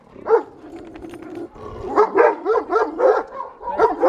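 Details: Rhodesian Ridgeback and Great Dane fighting in the Algarve, Portugal: a run of rapid, uneven barks and yelps with growling between them, rising and falling about four times a second in the second half.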